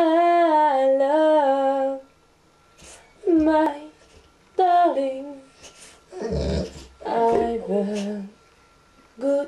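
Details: Pet dog howling in a duet with its owner, who sings a cover of Unchained Melody indoors: long tonal howls sliding downward, alternating with the human singing voice.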